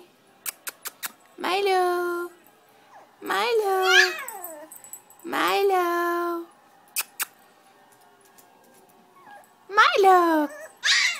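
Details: A Chiweenie named Milo, upset at being left on the sofa, gives three long yowling cries that rise then fall, separated by sharp clicks and silence, and closes with a steeply rising wail, indoors.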